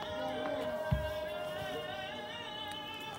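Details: Sustained melodic singing over background music plays with a single soft thump, and no animal voice is heard.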